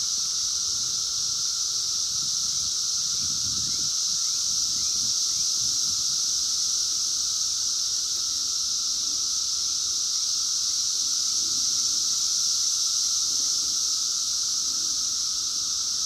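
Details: Outdoor 2021 emergence of Brood X, the 17-year periodical cicadas, recorded with a phone: a loud, seamless sizzling chorus paired with a low steady whine, unchanging throughout, with light background rustling.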